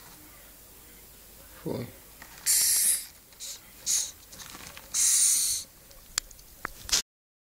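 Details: Madagascar hissing cockroaches (Gromphadorhina) kept as pets, giving several short breathy hisses, each a burst of broadband airy noise under a second long, with a longer hiss near the end and faint handling clicks between.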